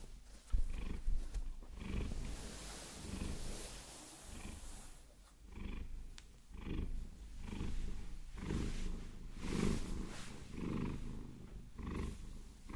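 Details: Maine Coon Vasilisa, who enjoys being massaged with long nails, purrs continuously; rhythmic low rumble waxing and waning with breathing, with rustling scratching from the nails loudest in the first seconds.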